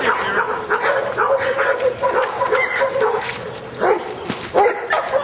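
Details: Schutzhund training, 31 January 2009: Luther the Giant Schnauzer, working in prey, gives a run of quick, punchy barks, a few louder at the end, amid handler commands.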